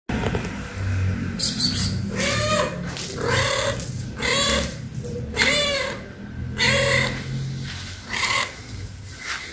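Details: Stray tuxedo cat visiting a house for food, giving a series of short harmonic meows roughly once a second, over a steady loud low rumble of background noise.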